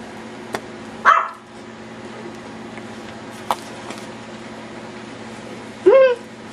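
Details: Playful Yorkshire Terrier puppies going wild; a single sharp bark early, a few faint clicks, then a short rising yip near the end over a low room hum.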